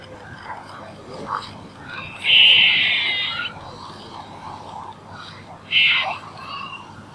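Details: Calling squirrel: a drawn-out, grating buzz lasting roughly a second, then a shorter, sharper buzzy burst a few seconds later, over soft background noise.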